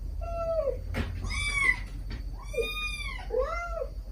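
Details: Domestic cats, a stray mother calling her kittens while the kittens answer with sweet begging cries: several clear harmonic meows, some falling, one rising then arching, with a faint click and low hum underneath.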